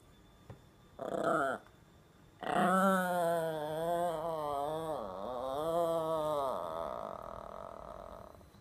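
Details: Yorkshire Terrier indoors giving a short whimper, then a drawn-out, wavering, tonal whine-howl lasting about four seconds that dips and rises in pitch before fading into a steady hum.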